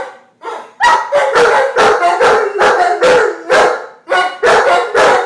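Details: Giant Schnauzers Max and Diva "singing" in a duet of throaty howl-barks, about two per second, each a harsh, wavering burst with rich overtones. Short gaps separate the clusters.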